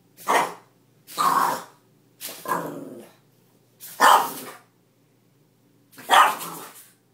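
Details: Beatrice, a French Bulldog, protesting against the mop during mopping indoors: five harsh, growly barks spaced about one to two seconds apart, each a broad rasping burst with near silence between.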